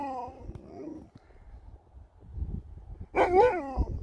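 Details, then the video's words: Sherpa, an Alaskan Malamute, gets mad in a love-hate spat with a daughter. A wavering, moaning vocal opens, then a louder burst of rising-and-falling woo-woo talk near the end, indoors with soft background murmur. "Dog gets Mad"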